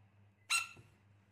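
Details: A baby rain frog gives a single brief, harsh squeak with a bright, buzzy edge.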